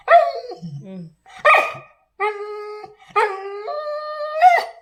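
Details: Pet Labrador Retriever indoors crying as its owner tries to leave, drawn-out whining whimpers with a steady voiced tone, four cries in five seconds, some ending in a sharp yelp.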